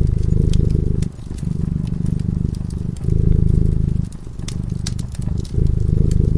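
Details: Deep rhythmic purring from a cat asleep by a cozy fireplace, louder and softer phases alternating about every second, the fire crackling and popping in the background.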